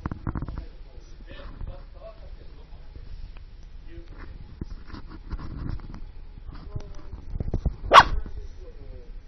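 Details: Dog barking outdoors at snow-clearing heavy machinery: one abrupt, sharp bark near the end over continuous low rumbling of engines and scraping noises.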